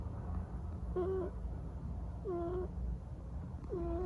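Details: Sleeping Munchkin kitten snores with three thin, whistling squeaks, each dipping slightly then rising, spaced about every one and a half seconds over a steady low background rumble.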